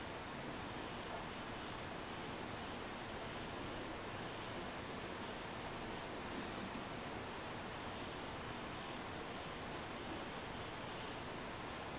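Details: A steady, unbroken hiss of broadband noise fills the whole recording, with no animal voice present.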